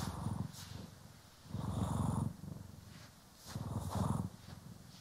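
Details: Pet cats Poki and Kiwi purr as they are brushed and groomed, recorded in stereo: three strong low rumbling purr bursts, each under a second long, alternating with quieter stretches and light high brush swishes.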